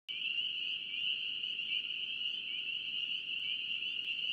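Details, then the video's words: Spring peepers calling in North Carolina: a dense chorus of many high, piercing peeps with short upward slurs, overlapping continuously in a steady shrill band, with no pauses and a faint low hiss beneath. "NC Peeper frogs"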